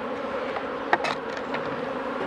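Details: Colony of honey bees humming loudly as a beekeeper works Mini+ hives in 2018. The drone is thick and constant, broken near the middle by a couple of sharp clicks and knocks from handling the frames.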